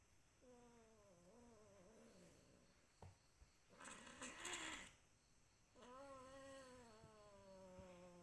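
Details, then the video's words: ['A cat making long, clear, harmonic meows: a wavering call of almost two seconds, then after a burst of broadband rustling noise, a steady meow of over two seconds, with a few faint clicks.'] "Kucing lagi meong meong"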